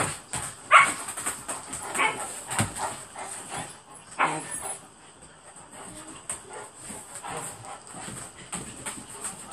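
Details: Two Alaskan Malamutes play on a bed indoors, one a new arrival of three days; a loud yelp-like call near the start, then ongoing grumbling vocal bursts and scuffling, with a steady high hiss throughout.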